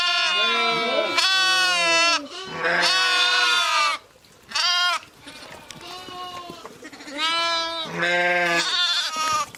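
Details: Ewes and lambs calling together, several overlapping wavering bleats in quick succession, some high and thin, some deeper, with a quieter stretch of faint background bleating and rustling midway.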